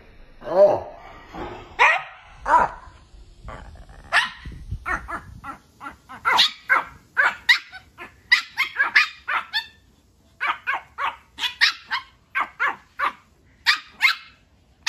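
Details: Puppies from a funny compilation give a long run of rapid, high-pitched yapping barks, some lower gruff barks near the start, firing almost continuously at roughly two or three per second.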